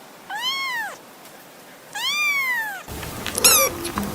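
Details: Two arched meows from a kitten at play, each rising and falling, followed by a burst of clattering and brief squeaky sounds near the end.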